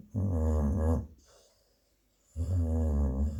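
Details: A female Labrador Retriever, a mother dog, snores deeply while sleeping and dreaming: two long, low, rattling snores about two seconds apart, separated by near silence.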